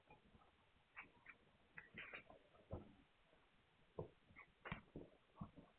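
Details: Young Hungarian Vizsla puppies, filmed 9 March 2021, give brief squeaky whimpers and yelps at uneven intervals, some sharper and louder, against soft rustling and movement in a small room.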